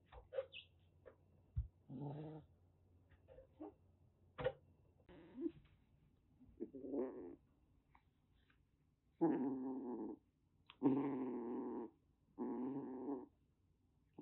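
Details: Rescued calico kitten around six weeks old, brought home in Kagoshima, Japan, in a sudden bout of threatening: low harmonic growls and moans rise in long drawn bursts of about a second, with scattered clicks and thumps between them.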